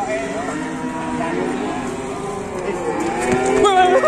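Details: An angry cow on the loose holds a steady, low, droning moo through the whole stretch. It ends in a rising, wavering note while onlookers call warnings.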